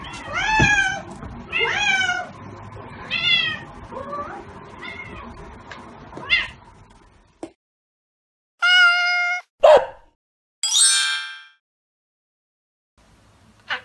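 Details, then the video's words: ['Calico Mieze and tabby Billie, two domestic cats, give five or six repeated meows over about six seconds, each sliding downward. Then come quiet gaps broken by short bright tonal bursts.'] "Calico Cat Mieze & Tabby Cat Billie's Cute Voice"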